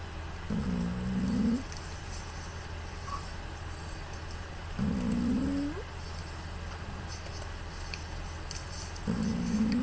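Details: Sleeping female house cat Pū, filmed on a smartphone, gives loud nasal snores likened to an old man's: three rough, rising, groaning snores roughly every four seconds, each lasting about a second, with low background hum between breaths.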